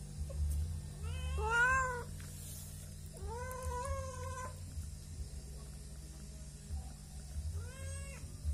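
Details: Domestic cats, angry because they have not been fed yet and asking for food, in a rural home, give three drawn-out, slightly rising meows spaced a few seconds apart, with a constant low hum in the background.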